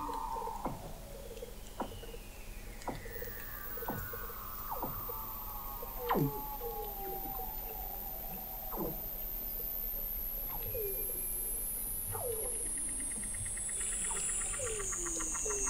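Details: Under McMurdo Sound sea ice in Antarctica, November 2017, Weddell seal vocalizations picked up by the McMurdo Oceanographic Observatory 21 m below the ice: rapid rows of short downward chirps over long falling glides and a very high descending whistle.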